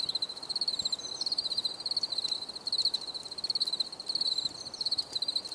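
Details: Crickets chirping steadily in a natural night setting, a high pure trill near one pitch broken into rapid pulsed bursts, several overlapping callers, no other clear sounds.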